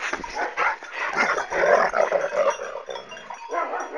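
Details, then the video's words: Kangal dog fighting and attacking its owner; dense, harsh snarling and yelping in quick overlapping bursts, with rising and falling growls and a noisy scuffle throughout. "Sahibine Saldıran Kangal Köpek"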